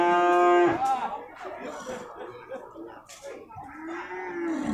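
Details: At the Purwakarta livestock market on 15 July 2024, a beef cow lets out a brief, loud, flat moo. Market chatter and clatter follow, with a softer, lower moo near the end.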